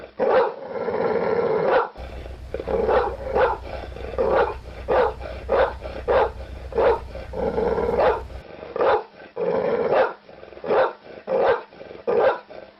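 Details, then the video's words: Dog giving a long run of rough, throaty barks, roughly one to two per second, over a steady low hum during the middle stretch. "dog bark sound effect"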